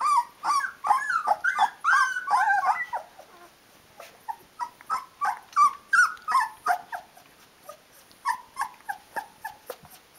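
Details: A litter of 16-day-old Rhodesian Ridgeback puppies calling their mum to feed them: busy overlapping whines at first, then sparser short squeaks about three per second, fading toward quiet at the end.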